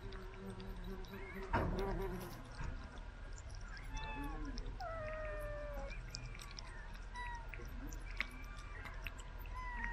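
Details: A pet cat being fed by a remote-controlled car makes a few short, bent meows in the middle of the clip, along with a sharp knock early on and a steady low hum.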